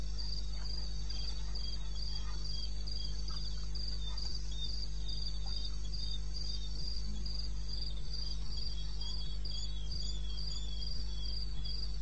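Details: Crickets calling in the wilderness of eastern Botswana, recorded on 21 May at 02:30 at night: high, evenly pulsed chirps in a quick steady train, with a second fainter chorus beneath and a constant low hum throughout.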